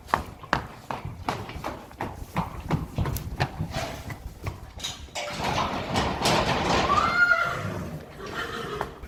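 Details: Friesian mares being led outside in the morning: brisk, regular hoof clops on a hard surface, then a strained, wavering whinny with rustling and stable noise around it.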